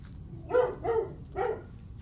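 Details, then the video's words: A dog recorded on the morning of July 9 at 8:38 gives three short, sharp barks in quick succession, the middle two closely paired, over a low steady background hum. "Barking dog"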